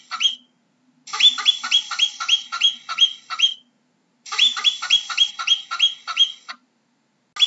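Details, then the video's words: A marmot giving rapid series of sharp, high, whistled chirps, about eight to ten per burst, in two long bursts separated by a short pause, with another call starting at the end; no other sounds. "How does a Marmot sounds"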